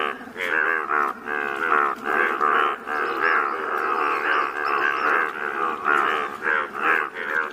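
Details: Many Indian bullfrogs, bright yellow, calling in Malkangiri district, Odisha, India: rich harmonic croaks repeated roughly once a second, merging into a thick unbroken chorus.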